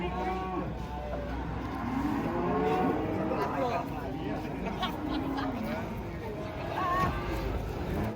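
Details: Giant cattle, three head, raging as they are unloaded from a truck at a market: deep drawn-out lowing moos, several overlapping, amid constant chatter of people and some vehicle rumble.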